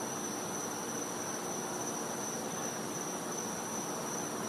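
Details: Winter night in a Florida back yard, where a cicada sustains a flat, high, steady tone without breaks while a wash of hissing background noise fills the lower range.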